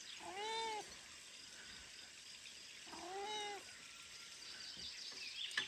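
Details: Weak newborn kitten, abandoned by its mother after birth and too weak to drink her milk, gives two thin, high rising-and-falling meows about two and a half seconds apart, with faint hiss behind.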